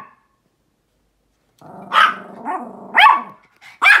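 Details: Small Pomeranian outdoors reacting to a large dog, giving four short, sharp yapping barks at uneven intervals after a brief silence, over a low murmur of background sound.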